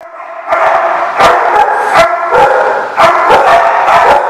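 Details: Dogs barking together, recorded 14 August 2015; dense, overlapping barks and yelps merge into a near-continuous din, punctuated by sharp loud bursts about every half second.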